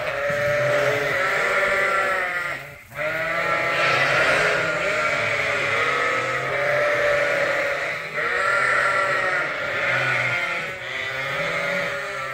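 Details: Many bottle-fed lambs at Ewetopia Farms bleat together in a dense, unbroken chorus of overlapping nasal, wavering cries. The din barely pauses once, around the third second.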